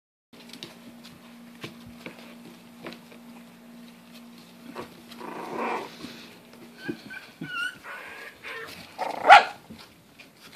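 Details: English Bulldog puppies, a litter kept as in-home pets in lower Western Michigan, give short whiny yelps and one sharp bark over a steady electrical hum.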